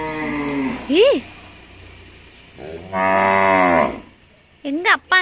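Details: A calf and its family calling each other on a farm in Tamil Nadu: a drawn-out moo at the start, a sharp rising-falling call near one second, a loud sustained harmonic moo around three seconds, and short rising calls at the end; a woman speaks in between.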